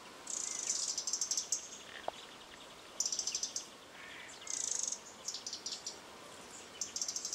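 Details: Playful stoats in a garden, August 4, 2013, give shrill, fast-stuttering chatter in repeated bursts about every one and a half seconds, each burst a tight run of high clicks, with a few softer lower squeaks between them.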